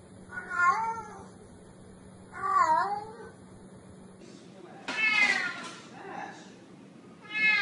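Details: Domestic cat meowing, meant to chase mice away: two clear harmonic meows about two seconds apart, then a brighter, higher, noisier cat cry near five seconds and another starting at the end.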